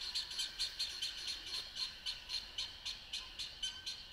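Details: A dense spring chorus of Spring Peepers on a moonlit night: high, clear peeps from many frogs overlapping, roughly two a second, with no other sounds standing out.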